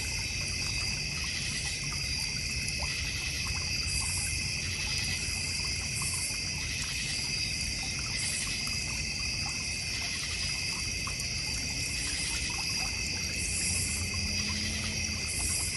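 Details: Crickets calling at night in a backyard in the North Georgia Mountains, near a koi and goldfish pond. A steady layered chorus of high, continuous pulsing trills holds through the whole stretch over a soft low rumble.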